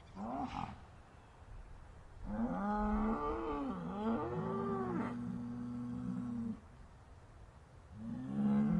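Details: Sad, upset cows moo repeatedly: a brief opening call, then long wavering moos that rise, dip and settle into a flat, sustained low tone, and another moo begins at the end.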